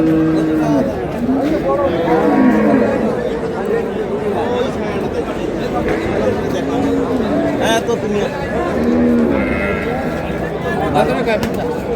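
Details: Cows with calves at Ambari haat cattle market, Dinajpur, Bangladesh, on March 6, 2026. Several drawn-out, level lowing moos rise through a constant babble of men talking and bargaining in the crowd.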